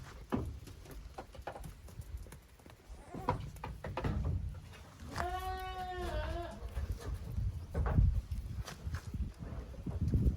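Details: At a handmade goat farm on 13 June 2023, the kids of Koharu and Okayu romp in two teams on the playground; a single quavering bleat rises midway through steady low rumbling and knocking.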